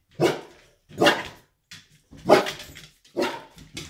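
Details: A 1.5-year-old golden retriever indoors at home barks at a rocking horse: four loud, sharp barks spaced roughly a second apart, with faint softer sounds between them.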